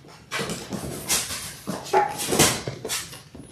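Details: Six-week-old Labrador Retriever puppies, a litter of six born January 18, 2022, indoors on a live puppy cam on February 28: scuffling, breathy yips and brief whimpers, including one short thin whine, amid rustling bedding.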